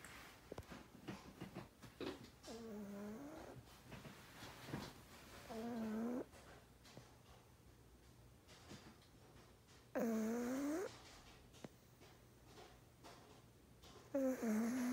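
A pug snores in wheezy, whistling breaths that come roughly every four seconds.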